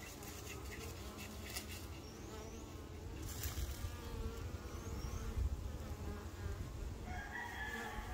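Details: Honey bees busy working, a dense low droning hum that stays steady throughout, with faint wavering overtones and a brief higher tonal sound near the end.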